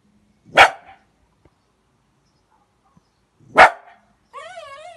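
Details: Heideterrier x Patterdale Terrier cross bitch playing with water; two sharp, loud single barks about three seconds apart in a quiet setting, followed by a wavering whine-like tone at the end.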